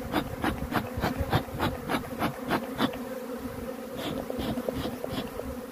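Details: Droning hum of honey bees with quick rhythmic clicking or puffing at about three per second that fades midway, leaving the buzz with a few scattered ticks.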